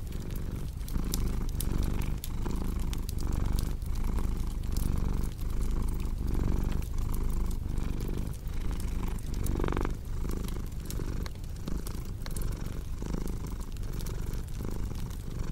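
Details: Cat purr mixed with a crackling fireplace for sleep and relaxation: a deep continuous rumbling drone that pulses gently about once a second with the cat's breathing, while dry crackles and snaps from the fire dot the background.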